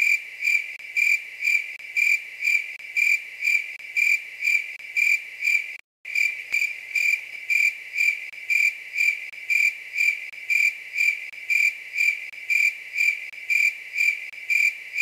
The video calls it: Night grasshopper sound.